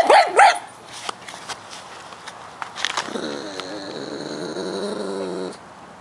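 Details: Pug in its yard, concerned about a bug it found trespassing, gives a sharp yelping bark. After a pause it lets out a drawn-out, wavering whine lasting over two seconds, with faint rustling between.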